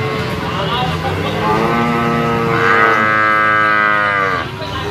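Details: Sacrificial cattle, large animals weighed in their pen: one sustained, strongly harmonic moo that grows louder midway and falls off at the end.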